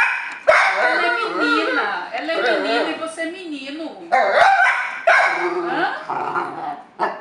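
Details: A male dapple piebald Dachshund grumbles in wavering, rising and falling whines and yips, with a person speaking, complaining that his female companion is on his owner's lap.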